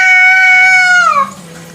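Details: Village cat (kucing kampung) at night giving a long, steady, high meow lasting about a second that bends downward at the end, followed by a quiet background.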